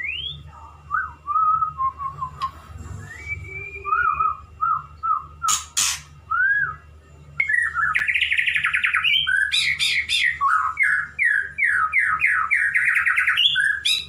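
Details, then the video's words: Male white-rumped shama courting a female, a pet bird, sings a varied song: slurred whistles and short phrases at first, then a dense burst of rapid chattering, sweeping notes, with a few sharp clicks and low hum. "Murai Jantan merayu Betina bikin nyesek"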